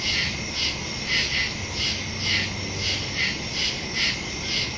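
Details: Nighttime woodland crickets, September 2, 2023, stereo phone recording: rhythmic high-pitched chirps pulsing in close pairs over a persistent ringing trill, a faint low drone briefly in the middle.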